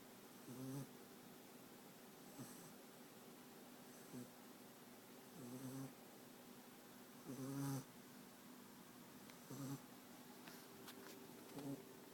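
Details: A sleeping American Staffordshire Terrier puppy named France, from Rostov-on-Don, snores softly indoors: low rasping breaths recurring every two seconds or so, some louder and longer, over a steady room hum.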